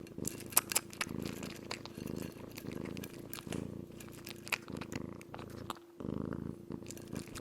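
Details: Kitten wholly absorbed in eating, purring steadily in a low continuous rumble, while sharp chewing and munching clicks sound in quick irregular bursts over it, with a brief pause near the end.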